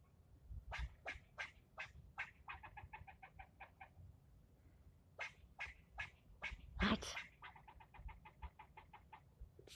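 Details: Squirrel yelling at a person for nearly ten minutes: sharp, noisy barks repeated about every third of a second, then fast rattling bursts of chatter, in two bouts separated by a short pause.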